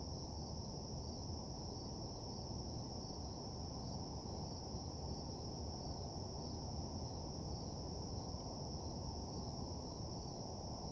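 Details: ['Crickets at night in a desolate parking lot keep up an unbroken, evenly pulsed high trill. A steady low rumble sits underneath throughout.']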